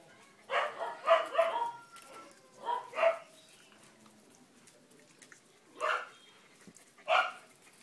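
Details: Four-month-old male blue merle Border Collie puppy giving short, bright barks: a quick cluster of three or four in the first second and a half, then single barks around three, six and seven seconds, with quiet gaps between.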